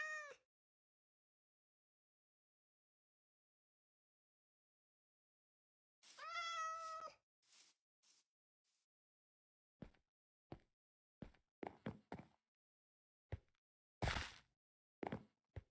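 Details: Persian cat arriving in Hanoi, Vietnam, after hours of travel during delivery: a short meow at the start, then a longer, clear harmonic meow. Scattered knocks and clicks follow.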